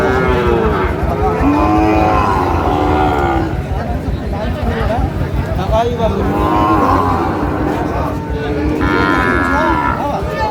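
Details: Sahiwal bull calves at a cattle market in Chattogram, Bangladesh, recorded 7 March 2025: deep drawn-out moos with rising and falling harmonics, several in succession, over busy crowd chatter and bargaining voices.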